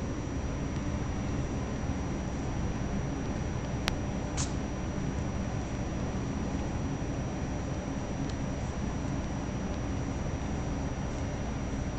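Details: Steady low room hum with a single sharp click and a faint high whine, and no kitten or cat voice.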